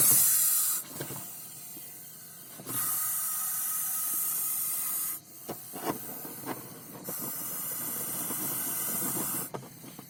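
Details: Russell's viper hissing: three long, harsh, breathy hisses, each lasting two to three seconds, separated by short pauses with faint clicks and background noise between them.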